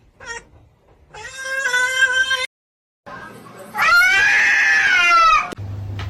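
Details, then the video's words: Domestic cat meowing in two bursts: a shorter meow after a faint opening chirp, then a brief silence and a longer, louder drawn-out meow that rises slightly and falls, rich in harmonics; mild room noise in between. "funny cats talking"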